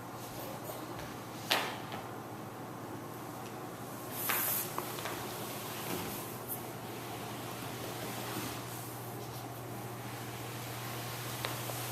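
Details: A quiet room carries a steady electrical hum with a few soft knocks and a brief spray-like hiss.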